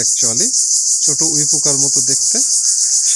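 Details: Loud, steady, high-pitched insect chorus shrilling without pause beneath a man's voice at a Bangladeshi village home on 30 March 2024; the insects are on every tree, six-legged and termite-like, and reportedly call loudly until dying.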